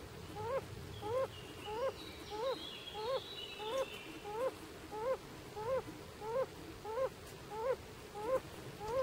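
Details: Male yellow-bellied toad singing in Italy's Bolzano province, July 3, 2011, giving a regular series of short, mellow, upward-inflected hoots, roughly fourteen in nine seconds, with faint distant birdsong behind.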